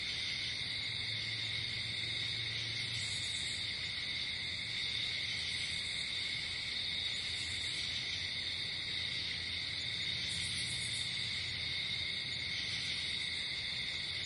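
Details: Crickets at night outdoors, a dense steady high trilling chorus in layered bands with brief buzzy bursts higher up, continuous throughout with no other clear sounds.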